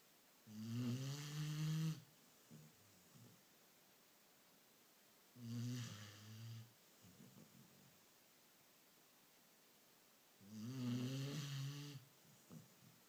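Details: Sleeping beagle producing three steady low snores about every five seconds, each lasting around one and a half seconds, with soft breathing noises between them in a quiet room.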